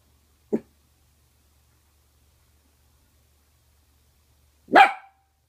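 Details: A female mini red/cream Longhaired Dachshund playing with her rawhide makes a short, clipped yip, then about four seconds later one sharp, ringing bark; the room is otherwise quiet, with a faint low hum.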